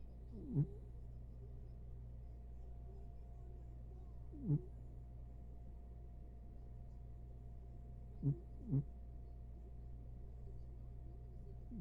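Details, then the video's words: Diego, a corgi asleep on a lap, snoring: short low snorts come roughly every four seconds, the last two close together, over a steady low hum. "Snoring corgi"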